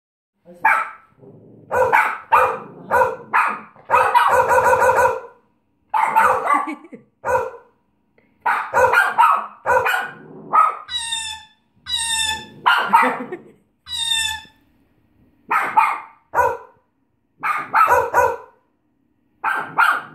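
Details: Bichon Frise barking in rapid short bursts, many sharp yaps in quick runs with brief pauses, plus a few high, thin, whining yelps near the middle.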